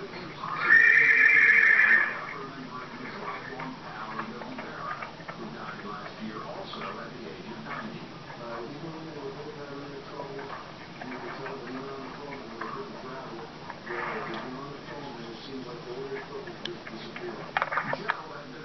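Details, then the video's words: Fox Trotter mare whinnying once near the start, a loud shrill call lasting about a second, followed by a long stretch of quieter background sounds with faint voices and a few soft knocks. "maggie May Fox Trotter mare"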